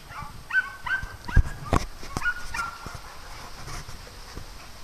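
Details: {'text': 'Farm dogs at play: a run of sharp, high-pitched yelps close together in the first half, mixed with heavy thuds and scuffling, then quieter.'}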